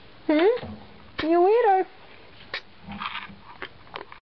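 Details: Husky kept as a pet, talking with its owner indoors about going upstairs: two short, rising-then-falling woo-woo vocal bursts about a second apart, followed by quieter grumbles and light clattering in a small room.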